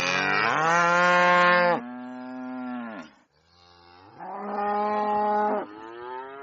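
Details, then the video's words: Cow mooing loudly on a farm, two long harmonic bellows, each with a louder strained start that drops to a softer, lower tail. "VACA MUGINDO - SOM DE VACA MUGINDO - VACA BERRANDO ALTO"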